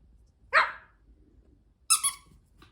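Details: Mini Bichon Frise dog giving two sharp, high yapping barks about 1.4 seconds apart, the second a quick doubled yap, with a quiet background between them.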